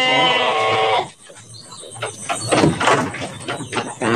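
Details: Big Garut sheep in an Indonesian pen before Qurban 2024; a one-second harmonic bleat, followed by clattering, rustling and a man's voice, with a fainter bleat at the end.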